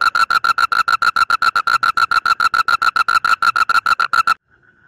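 A male Asian common toad calls to attract a mate with a rapid, rattling trill of short, buzzy pulses. The pulses run several per second at a steady mid pitch for about four seconds, then stop.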